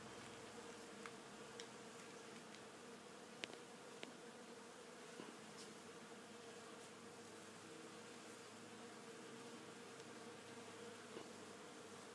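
A steady, low droning buzz of bees in flight, with a few faint clicks.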